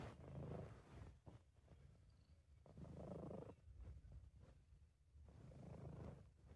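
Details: British Shorthair cat purring while relaxed and content, amateur recording: a low rumbling purr swelling and fading in three breath cycles, roughly every two and a half seconds, with quieter stretches between.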